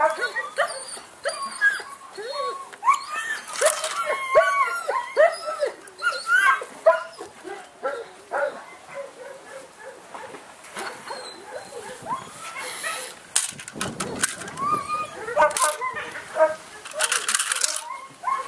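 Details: German Shepherd puppy, a male offered for sale in Saratov, giving a long run of squeaky whines and yelps, bending up and down in pitch, mixed with talking and handling noises.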